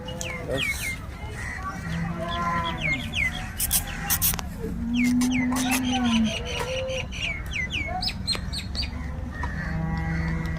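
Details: Cows at a dairy farm in Loni, Shrirampur taluka, Ahmednagar district, offered for sale; a long low moo rises and holds near the middle, with chirping birds, clatter and people's voices around it.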